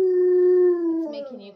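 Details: Alaskan Malamutes indoors howling at footage of their sled dog friends: a sustained, flat, pure howl held for about a second, breaking into a lower wavering tail.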